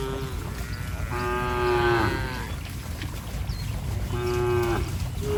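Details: Cattle frolicking in mud give two drawn-out moos, each close to a second long with a steady tone that bends down at the close, over a constant low rumble of background noise.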